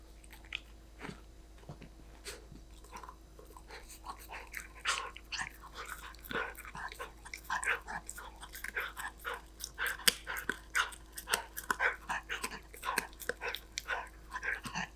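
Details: Golden Retriever puppy eating snacks indoors: irregular crunching and biting clicks, sparse at first and then quicker and denser in the second half, over a steady low hum.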